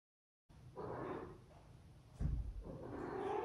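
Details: Luna, a pet cat, trills as she walks into the room before eating beef and turkey wet food: two short, soft rolling murmurs near one and three seconds, with a dull thump between them in a quiet room.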